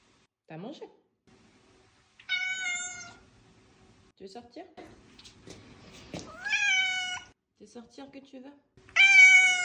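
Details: Indoor domestic cat answering a French-speaking woman with three clear, drawn-out meows, each slightly rising then level, several seconds apart, with her short questions and soft chatter between them.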